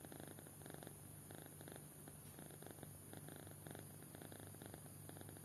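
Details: Soft snoring from a kitten sound asleep: rhythmic grainy pulses arriving in short groups about every half second, low-pitched and unchanging, with light steady hum behind.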